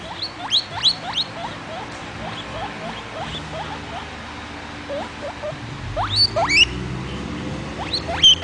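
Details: A young pet guinea pig named Vitalis wheeking: rapid series of sharp, rising squeaky whistles in clustered bursts, louder and higher rising wheeks near the end, over a low background hum.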